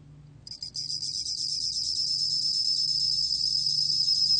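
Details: High ringing trill of a bell cricket, recorded in 2020, opening with a couple of quick stuttered pulses before settling into an unbroken, finely beaded metallic song; faint low hum in the background.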